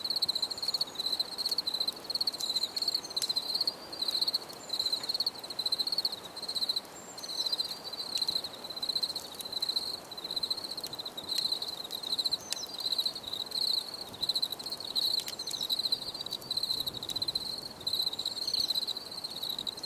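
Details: Long run of cricket chirping from a relaxing nature scene: continuous high pulsed trills with barely a gap, steady in loudness, with scattered faint clicks.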